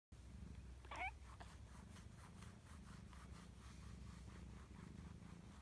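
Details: Satchan, a pet cat, purring with pleasure while being massaged with a cat massage roller: a soft, steady low rumble pulsing in a regular rhythm, with one brief faint higher sound near the start.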